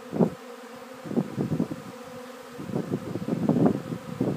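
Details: Re-swarming bees in late afternoon, returning to the same spot as the previous day; a softer, steady low buzz with bees passing close in brief louder surges.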